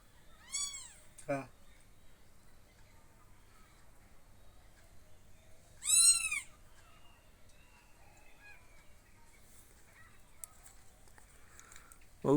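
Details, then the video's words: Three separate kitten meows spaced across a quiet indoor stretch, each a sharp, high, arching cry, the middle one loudest, with faint household clicks between and soft Bengali speech around. "বিড়াল ছানা"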